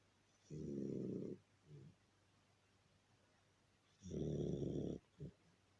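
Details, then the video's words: Sleeping English cocker spaniel snoring: two loud, low, grating inhalations about three seconds apart, each followed by a brief softer snuffle, in a quiet room. "Кокер храпит (английский кокер спаниель)"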